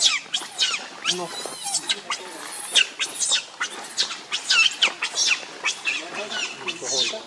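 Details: Shrill, high screeches come in rapid, uneven bursts from hungry baby monkey Leo as it begs its mother for milk, the cries continuous and agitated throughout.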